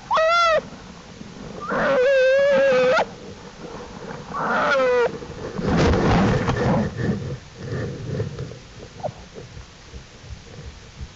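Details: American black bear cubs of the mother Jewel, exploring outside the den with her on April 2, 2012, studied by the Wildlife Research Institute; three loud harmonic cries, one brief and two longer wavering ones, then softer rustling and low murmurs.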